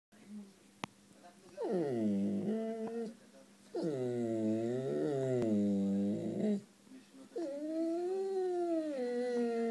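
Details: Messi, a sweet Siberian Husky, howls indoors for affection: three drawn-out, wavering harmonic howls of about one to three seconds each, sliding down then rising, with short quiet gaps between them and a sharp click near the start.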